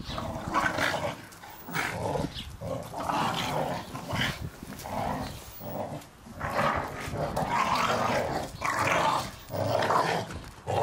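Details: Garden play among Staffordshire Bull Terriers destroying their first Christmas ball; irregular growl-barks about once a second, rasping and rising in bursts, with pauses and background scuffling.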